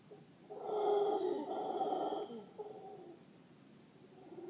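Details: Howler monkey families call to each other from trees above a tent at Playa Guiones at 5am: a deep roaring swell builds for about two seconds, eases, then a lower rumble follows, over a steady high insect hum.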